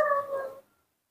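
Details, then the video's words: Young female baby monkey Nomi cries for milk in the morning during a tantrum, giving a single short, steady, tonal wail that fades out within about half a second. "baby monkey Nomi's tantrums are getting worse when she wants to drink milk in the morning"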